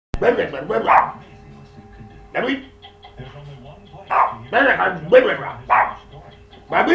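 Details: Pet dog barking at weird noises indoors, a series of short sharp barks in uneven bursts, some doubled, with gaps of one to two seconds between groups and a steady background hum.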